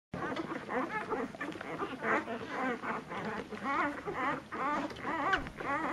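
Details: Nursing puppies of a litter at dinner time, squabbling over their mother's milk; a steady patter of high, wavering squeaks and short whines overlaps continuously, with chirpy harmonic cries rising and falling in quick succession.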